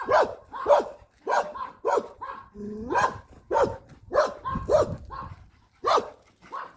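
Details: Puppy barking during a walk: a series of sharp, punchy yaps in quick clusters, about nine or ten in under seven seconds, with a brief spoken phrase in the middle.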